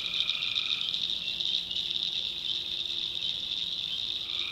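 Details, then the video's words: Night chorus of tree frogs in a swamp in the North Carolina backwoods. A continuous shrill trilling wash dominates, with a lower sustained note ending early and another starting near the close. "Relaxing Swamp Sounds at Night - Frog Heaven - Frogs, Crickets, Forest Nature Sounds"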